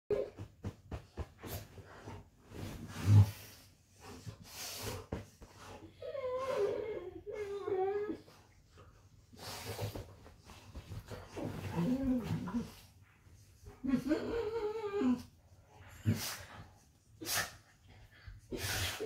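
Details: Golden retrievers, one named Rudy, play fighting indoors in bed: wavering, whiny growl-moans come in two bouts, with thumps, rustling bedding, heavy breathing and a person's voice near the end.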